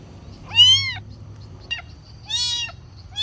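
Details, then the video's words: Young kitten calling for food: two loud, arched meows and a short chirp between them, high-pitched and harmonic-rich, with a faint low hum behind. "Anak kucing meong-meong, suara kucing minta makan"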